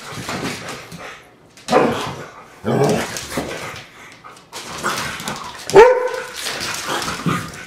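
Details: Irish Setter dog barking and yelping in short harsh bursts, each lasting about a second and separated by brief quiet gaps, with one sharper, louder yelp late in the sequence; faint rustling between bursts.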